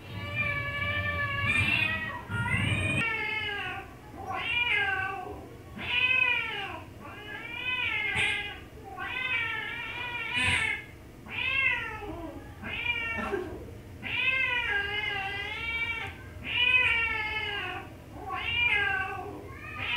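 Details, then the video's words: Cat producing a rapid run of short, arching meows, about a dozen in twenty seconds, each wavering up and down in pitch, bright and insistent, with a brief thump near the start. "vidio kucing lucu gemes banget tahan tawa si mpus heransuara nya dri mana padahal di kerjain"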